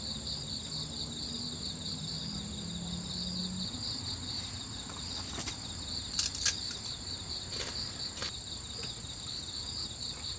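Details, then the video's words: Crickets chirping at night at a campsite on Ganghwa Island, South Korea, while a camper eats; steady high pulsed trilling throughout, with a fainter second high band, a low hum early on and a few sharp clicks and knocks of camp activity. "Tiếng dế ở đây nghe rất hay phải không? Tôi yêu những âm thanh tôi nghe được vào ban đêm khi đến khu cắm trại, tôi vừa ăn vừa nghe tiếng côn trùng"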